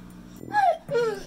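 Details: Male pit bull whining at its owner over food despite a full bowl: two short tonal whines, the first sliding downward, the second a brief level note, over a faint low hum.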